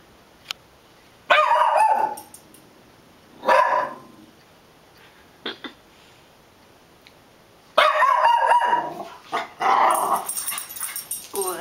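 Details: Puggle dog giving loud, harsh barks in short bursts, a double bark near the start and a longer run of rapid barks toward the end, with a faint high electronic whine.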